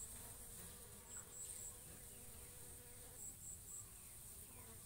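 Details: Bees pollinating and feeding on coconut flowers, giving a low, steady droning hum that wavers slightly, with thin, high chirps repeated in short bursts above it.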